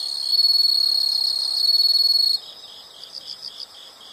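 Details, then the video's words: Insects calling in a natural setting: a loud, steady high trill with a fast pulsing beat runs for about two seconds, then stops abruptly, leaving softer pulsed chirping from other insects behind. "the sound of insects"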